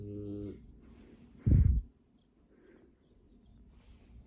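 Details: Borzoi puppy Tjajkovskij, about seven weeks old, snoring while asleep beside his siblings indoors; a low rasping snore opens the clip, then a loud short snort, followed by soft quiet breathing.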